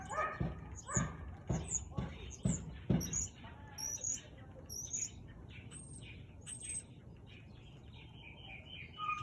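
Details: Siberian Husky recorded barking at 4:17 pm, 13 March 2021: six punchy barks roughly every half second, then birds chirping and twittering high above a steady outdoor hiss.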